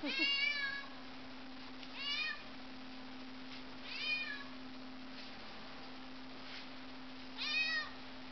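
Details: Pet cat in a household of several cats, indoors: four short, bright meows roughly every two seconds, each slightly falling at the end, with a constant low electrical hum underneath.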